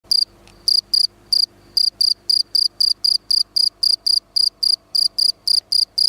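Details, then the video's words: Field cricket (Gryllus campestris) singing: a steady series of short, high, metallic chirps, about three to four each second, each chirp a quick cluster of pulses, over a faint low background hum. "пение сверчка"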